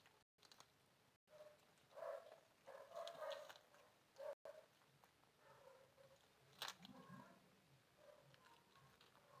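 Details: A cute cat that wants to sleep mews indoors: short tonal meows cluster between two and four-and-a-half seconds, then softer, thinner calls follow near seven seconds, over a quiet room hiss with a few sharp clicks.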